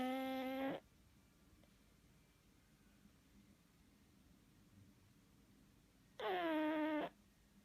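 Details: Pug asleep, giving two tonal snores about six seconds apart. Each is a buzzy, harmonic whistle lasting under a second, the second one gliding slightly downward. Near-silence in a quiet indoor space fills the gap between them.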